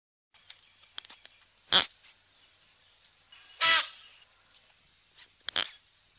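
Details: Klipspringer making abrupt breathy snorts roughly every two seconds, the middle burst strongest, with faint clicks and rustles in between.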